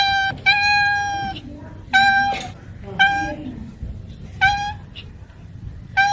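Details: Cats and kittens meowing indoors: five clear, harmonic meows, each under half a second, repeated about every one to one and a half seconds, steady in pitch with slight falling ends.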